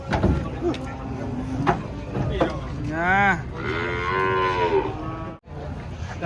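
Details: Cattle unloading from a truck with knocks and thumps, then a clear rising-and-falling moo around the middle followed by a longer, steadier lowing call.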